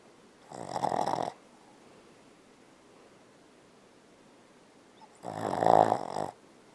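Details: Bella, a Boston Terrier, snores loudly while sleeping and dreaming: two long rasping snore bursts about four seconds apart, separated by quiet indoor silence.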